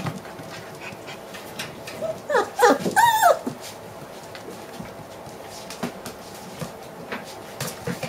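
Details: Six-week-old puppies from the Coffee litter; a brief burst of high, wavering whines and yelps near the middle, with soft clicks and shuffling noises before and after.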